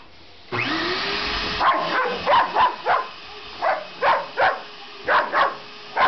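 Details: Sasha, a pet dog that hates the vacuum cleaner, barks at it in short sharp bursts, about ten barks in quick pairs and singles, over the continuous roar of the running vacuum.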